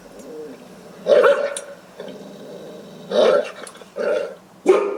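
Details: Deep guard dog barks meant to ward off intruders: a rough bark with a growling edge, a pause, then three more loud barks in quick succession toward the end.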